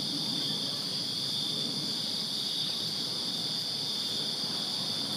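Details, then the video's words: Night-time cricket chorus in a Virginia backyard during summer, an unbroken high-pitched pulsing trill from many insects, with soft low background noise throughout. "Crickets Chirping Summer Night in Virginia"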